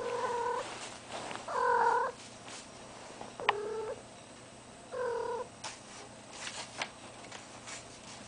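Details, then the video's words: Cat in heat kept indoors alongside a deaf ferret, uttering drawn-out moaning yowls roughly every one to two seconds, each steady and nasal, separated by quiet gaps with light shuffling and knocks in a small room. "a cat in heat"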